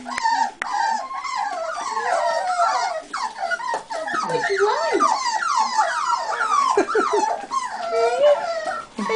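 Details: A litter of buff American Cocker Spaniel puppies crying at once, a dense chorus of high, rapidly rising and falling squeals and yelps that barely pause.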